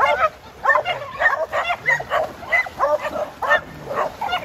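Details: Jed, a tri colour male Border Collie near 7 years old, herding people on time at the farm; loud, bright barks come in a quick, uneven series, about two per second.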